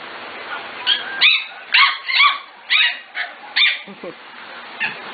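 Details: Young Corgis, five to six weeks old from the Katie, Emma and Annie litters, bark in a loose series of squeaky, shrill yaps with uneven spacing. A low murmur runs underneath before the barking starts.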